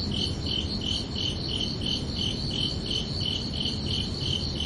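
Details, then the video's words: Crickets chirping under a night sky on a summer evening: short, high, bright pulses repeated steadily about three times a second, with a soft low rumble of background noise beneath. "Calming Cricket Sounds"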